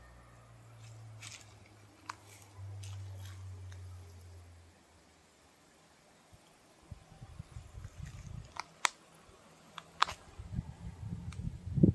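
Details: A low steady hum fills the first half, followed by a quiet gap. Clicks, rustling and soft thumps from close handling come after, and no animal call can be picked out.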